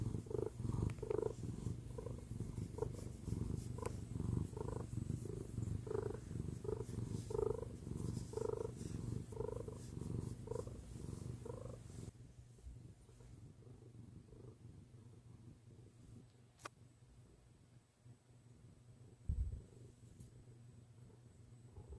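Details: Pet cat settled on mom's lap, purring in a low continuous rumble with regular breath-paced swells for about twelve seconds, then fading to a much quieter, softer purr with a few faint clicks.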